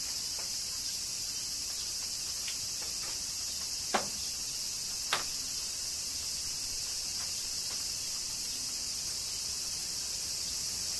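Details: Summer rain in Kyoto, Japan, with cicadas singing: an unbroken shrill buzzing wash fills the upper range throughout, and two louder sharp ticks stand out near the middle.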